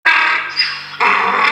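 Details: Donkey at Awaji Country Garden in Awaji, Hyogo, Japan, calling out as if pleading for something: a loud, harsh, strongly harmonic cry in two parts, the second surging back in after about a second.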